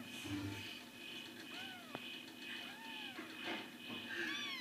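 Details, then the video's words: Kittens giving thin, high arched mews, three or four short calls spaced about a second apart, quiet against a steady background hiss and faint clicks. "More 3 Very Cute Kittens"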